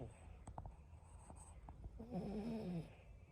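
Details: Boston Terrier sleeping deeply with a crooked mouth and tongue out, snoring: quiet soft breaths with faint clicks, then a louder wavering nasal tone lasting under a second.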